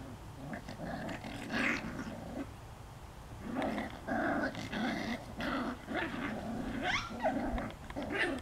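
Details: Five-week-old puppies grumbling and growling in rough, low bursts. Thin squeaky whines rise above them. The noise comes in uneven clusters, with a quieter gap of about a second near the middle.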